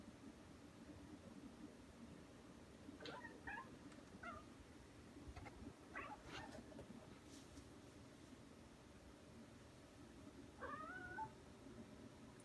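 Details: House cat at a window, said to be mad at something, making strange sounds: a run of short clipped chirps and chatters in the middle, then a bent meow-like call near the end, with a low indoor hum throughout.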